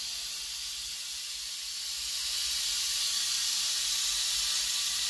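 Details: Captive rattlesnake kept in a private snake collection, described as the largest viper in the United States, making a steady, dense, high-pitched hissing buzz that grows slightly louder after two seconds and runs unbroken throughout.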